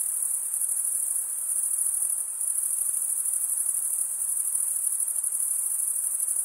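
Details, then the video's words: Stridulating crickets fill the air with a constant high, shrill ringing trill; a brief softening a little past two seconds, then the same unwavering chorus resumes, without other sounds. "Most relaxing cricket sound for 8 hours"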